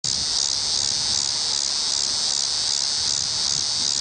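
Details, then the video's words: Tibicen walkeri cicada singing in a tree near the WWI Museum entrance in Kansas City, Missouri, on October 5, 2008: a loud, continuous high-pitched buzzing drone with a steady pulsing rhythm, about two and a half pulses per second. "Cicada: Tibicen walkeri"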